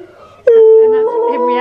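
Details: Husky named Steel, singing in a way that makes another husky, Key, tilt his head: after a short quiet start, one sustained, steady howl-like tone rings out, with faint rising overtones near the end.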